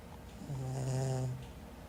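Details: Caramelosh, a cat, snoring: one drawn-out, low, steady droning snore lasting about a second, swelling in and fading away against a quiet background.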